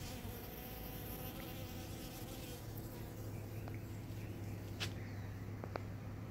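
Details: Busy pollen-collecting bees, one with heavily loaded legs barely able to fly, recorded 5-12-18: continuous low droning buzz with a steady hum, and a couple of soft clicks toward the end.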